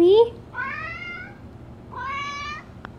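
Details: Domestic cat Bean, female, meowing at the door during hard rain; a human voice opens, followed by two long, slightly rising harmonic meows about a second apart, indoors.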